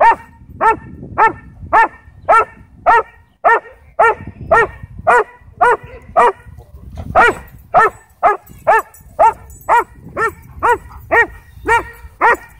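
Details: Texas sheriff's K-9 Belgian Malinois trying to attack at a dog park: long steady series of loud harmonic barks, about two per second, over twenty in all with a brief pause near the middle.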